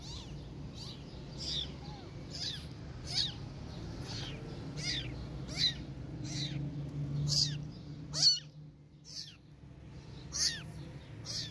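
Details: Orphan kitten meowing with a protective cat nearby that responds: thin, high-pitched mews repeated roughly once a second, each a short rising-then-falling cry, over a steady low background rumble.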